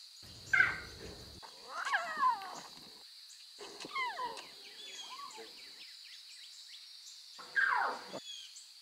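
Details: Lion cubs in the wild with their mothers, meowing: several short, high cries that slide steeply downward, the loudest near the start and again near the end, over a constant high-pitched chorus of birds or insects.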